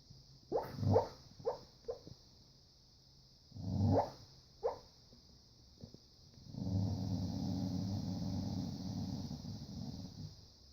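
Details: Dreaming dog barking and growling while asleep indoors: clusters of soft, muffled yips and woofs in irregular bursts, followed by a long, low sustained growl of about four seconds; constant faint hum throughout.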